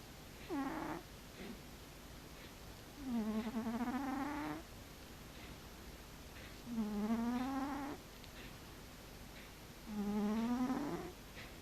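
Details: Sleeping domestic cat snoring: drawn-out tonal moans, each about one and a half seconds long, rising slightly then flattening. They recur roughly every three to four seconds in time with breathing, and quiet hiss-like breaths fall between them.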